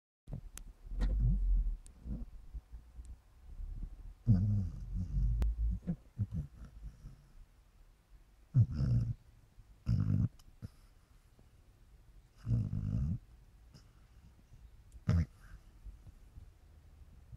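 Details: A sleeping pet dog snores like a man, with low, rumbling breaths coming in irregular bursts every one to three seconds in a quiet indoor room.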